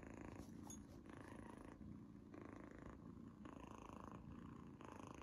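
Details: Purring from Izzy, a young female cat tasting a treat for the first time and clearly relishing it; a dense, even rumble rising and falling in waves about once a second.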